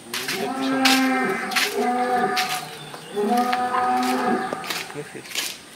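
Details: Brahman cattle on a dairy farm in Bangladesh with many large cattle gathered: two long harmonic moos, each lasting over a second, with sharp clattering knocks and farm noise around them.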